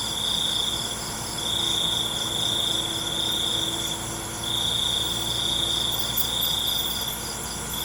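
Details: Crickets at night: long high trilling phrases broken by brief pauses, over a wash of other insects, with a low steady hum and a faint lower tone partway through.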